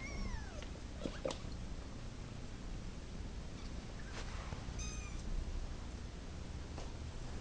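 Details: A domestic cat, wanting to go to its mama, gives a few high thin meows over steady low background hum; one descending cry early on, a short faint mew near five seconds, with soft knocks and rustles between.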